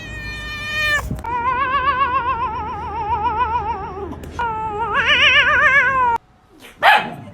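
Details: Cat giving a long, drawn-out wavering yowl with a quivering, vibrato-like pitch, broken by a short gap and then rising louder before a sudden cutoff, followed by a brief sharp noise; part of a funny cat sounds compilation.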